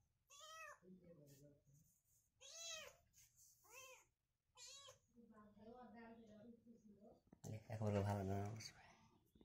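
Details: Rescue kittens meeting a new kitten friend for the first time indoors: several high, arching meows in quick bursts, interleaved with human speech and a loud burst of talking near the end.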